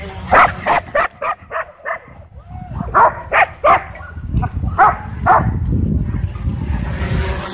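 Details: Dogs at a dog park bark excitedly while a DJI Mavic 2 drone whips them into a frenzy. A burst of about a dozen barks fills the first five seconds, then gives way to wind-like rumbling noise.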